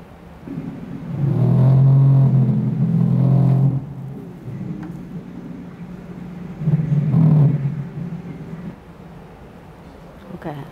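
Two deep, drawn-out moans from a right whale, each lasting a couple of seconds with a slightly wavering pitch. A low background rumble fills the gaps between the calls.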